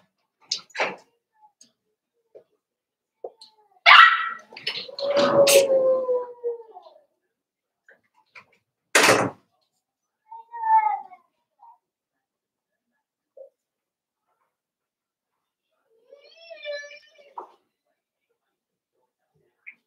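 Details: Five-week-old Cavalier King Charles Spaniel puppies in their pen: scattered short whimpers and a drawn-out falling whine, with a few sharp knocks and long quiet gaps between sounds.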